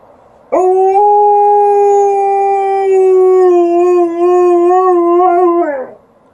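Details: Indoor howl from Liza, an Alaskan Malamute answering a siren outside: one loud, even, drawn-out note held about five seconds, slightly wobbling near the end before dropping off sharply.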